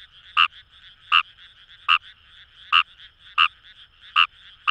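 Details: Fejervarya kawamurai in Japanese paddy fields near Itoshima, Fukuoka: evenly spaced, slightly drawn-out croaks roughly every three-quarters of a second, with a soft buzzing chorus of other frogs behind.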